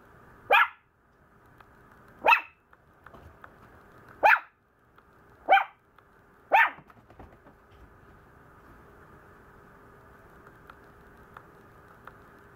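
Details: Complaining Maltese puppy giving five short, high, sharp barks spaced about two seconds apart, then falling quiet apart from faint clicks over a steady low hum.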